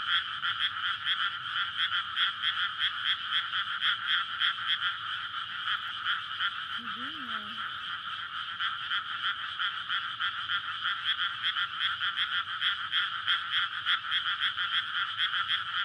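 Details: Frog chorus at night in a flooded rice paddy in May, courtship before spawning, beside a road in a residential area. Continuous rapid croaking fills the scene while a brief low human voice passes midway.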